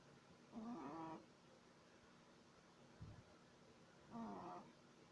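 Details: A 3-month-old Shih Tzu puppy snores like a human, with short, squeaky, whistling breaths a few seconds apart.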